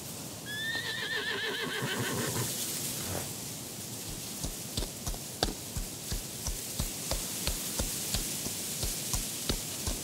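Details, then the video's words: Black horse among wild horses in a mountain setting gives a wavering, quavering whinny that slides downward over about three seconds, followed by steady, regular hoofbeat clip-clops under a soft hiss of breeze. "Horse Sounds"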